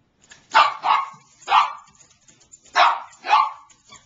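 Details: Niqqi, a female Bichon Frise, barks to beg for her squeaky toy to be thrown: five sharp, mid-pitched barks, two quick ones, a single, then another pair, with short pauses between.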